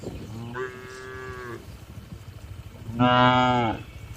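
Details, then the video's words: Cows calmly resting and eating in a large farm barn; two clear moos, a steady one-second low followed after a pause by a louder, richer bellow, over faint barn hum. "Calm Cattle Sounds"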